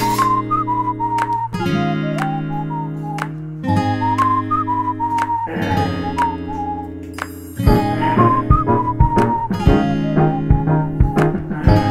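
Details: Plucked acoustic guitar chords under a bright whistled melody that rises and falls in short repeated phrases, steady throughout with no animal voice.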